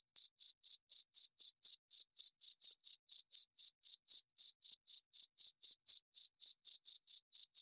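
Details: ['Cricket sound meant for sleep: rapid, regular, piercing chirps, around four each second, running steadily throughout with nothing else audible.']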